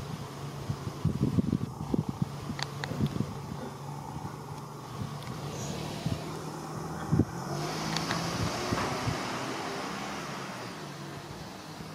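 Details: Steady low engine-like rumble and hum outdoors, with scattered clicks and knocks and no clear animal voice.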